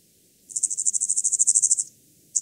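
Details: A lesser mottled grasshopper (Stenobothrus stigmaticus) in Tuttlingen, Germany, 9 September 2021, gives a quick run of high, even ticking pulses lasting over a second; noise removal was applied.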